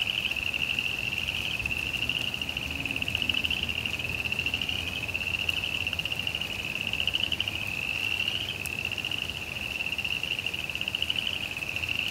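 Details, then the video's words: During rain in a suburban backyard, frogs sustain a long high trill of quick pulses that rises and falls slightly in strength, over constant rain hiss and a single sharp click. "ambient sounds of rain, frogs"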